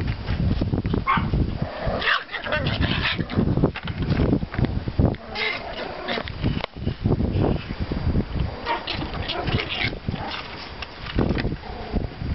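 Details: Pomeranian puppies from litters 32 and 35 out for a walk in a yard after snowfall on 5.04.14; short, sharp yapping barks come in scattered bursts, mixed with human talk, footsteps and rustling through snow.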